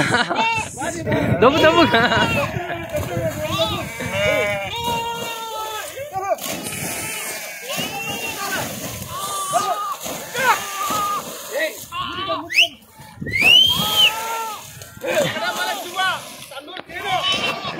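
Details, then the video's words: Sheep bleating as farmers struggle to get them to cross and swim a river; many wavering, overlapping bleats repeat rapidly throughout, mixed with people talking, clapping and background music. "amazing swimming sheeps"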